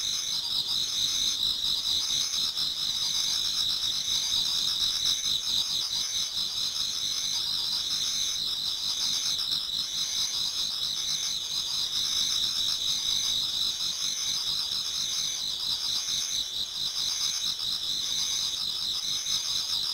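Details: Autumn insects in a Japanese garden towards dawn, many singing together: a dense, continuous high-pitched trilling shimmer with a faint pulsing rhythm and no other sounds.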